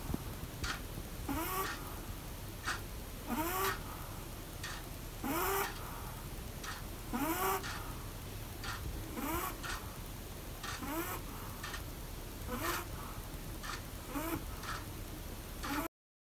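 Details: Pomeranian asleep while sitting in the bath, snoring in a steady rhythm about every two seconds; each breath carries a short rising, squeaky whistle over breathy noise.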